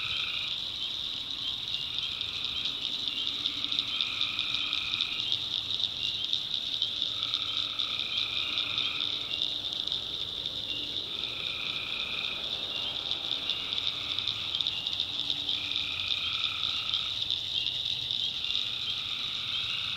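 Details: Tree frogs at night, North Carolina backwoods: a dense, shrill background chorus with alternating lower and mid-pitched trilled bursts, each about a second long, recurring regularly through twenty seconds.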